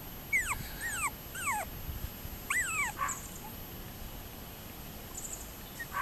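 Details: Toy poodles of Cricket, recorded 30 June 2024, giving high, thin whimpers that each slide steeply downward, in quick bursts of two or three over about three seconds, then fading to faint background hiss.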